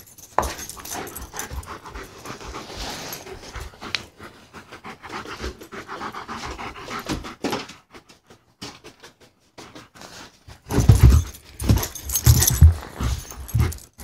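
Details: German Shepherd at play indoors, panting in quick breathy rhythmic puffs for several seconds, a pause, then louder, harsher bursts of breath and scuffling near the end.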